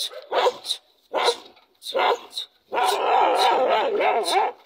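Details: Dog giving three short barks, then a longer continuous whining, howl-like stretch with wavering pitch.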